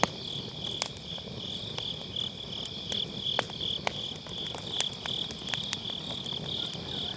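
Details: Steady pulsing high-pitched chirps of grass insects on an autumn night fill the background beside a round fire-pit campfire, recorded with a Sennheiser MKE600 on low cut, punctuated by frequent crackles of burning firewood.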